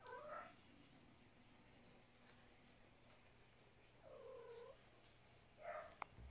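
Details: Domestic cat indoors in the morning after breakfast, chattering. Three short meows: one at the start, a longer level one in the middle, and a brief one near the end, over a low hum.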